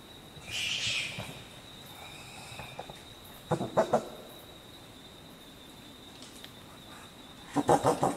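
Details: Short-eared brushtail possum giving wheezy shrieks and knocking staccato coughs: a hoarse shriek near the start, then short bursts of low rapid coughs around the middle and again at the end, over a steady high insect whine.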